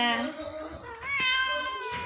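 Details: Pet cat indoors, playing and being fed; two drawn-out, clearly tonal meows, the first low and falling, the second rising then held steady, with a person speaking Bengali coaxingly around it.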